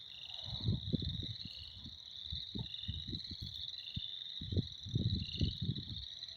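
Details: Many frogs calling together in spring make a steady, shrill, pulsing trill. Heavy low-pitched rumbles and thuds come in irregular bursts throughout and break up the background.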